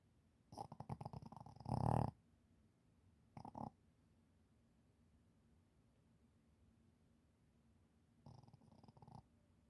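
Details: Shih Tzu snoring while asleep: three rattling, pulsed snore bursts, the second loudest and ending abruptly, separated by quiet pauses of a few seconds in an otherwise still room.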